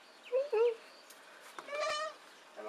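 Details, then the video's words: Baby goat giving two short, thin bleats, then a longer wavering bleat with a quavering tremble near the end of the short stretch. "Baby Goat"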